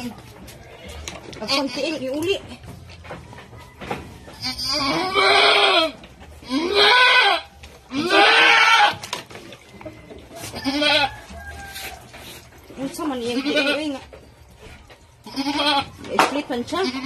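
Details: Domestic goat that has just given birth again, bleating in a series of loud, wavering, nasal cries lasting about a second each, separated by short pauses, with people talking in the background.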